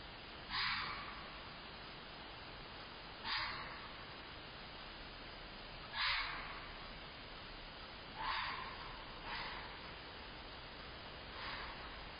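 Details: A fox screams near midnight outside a house, recorded from a front porch camera: harsh, rasping screams, each a short burst repeated every two to three seconds.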